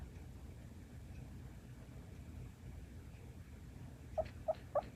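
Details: Sleeping female Shiba Inu Luna, a rescue dog born in September 2016, talks in her sleep. After quiet breathing, three brief, high squeaky whimpers follow one another in quick succession near the end.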